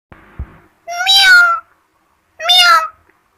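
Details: Kitten giving two clear, high meows about a second and a half apart, each rising slightly and then falling, after a faint thump and rustle at the start.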